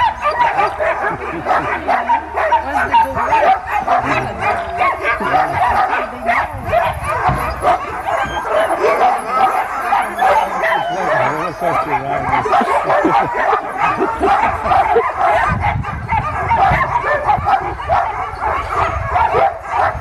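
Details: Sled dogs at Caribou Crossing in Yukon Territory bark and yelp in a continuous excited chorus before takeoff, many animals calling at once, with low rumbling noise and occasional voices.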